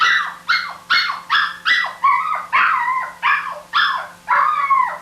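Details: A dog yelps in a steady run of about two calls per second. Each call is a sharp, bright cry that drops slightly in pitch, and a faint steady hum sits underneath.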